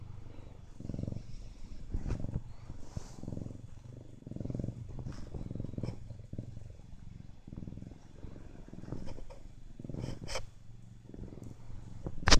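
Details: Siamese cat named Poon purring, a low steady rumble pulsing through the whole stretch, broken by a few soft clicks and rustles.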